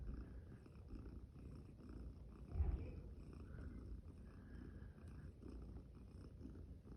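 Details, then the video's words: Day-five kitten, a champagne cream tabby, purring quietly and continuously in a low rumble, with one soft thump midway and little else audible. "Cute kittens yawning, playing and making cute sounds"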